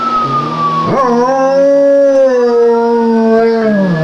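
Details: German Shepherd dog howling in imitation of a police siren: a long, sustained, wavering tonal howl rich in harmonics that rises slightly, holds, then sags lower toward the end, preceded by a brief falling whine-like tone.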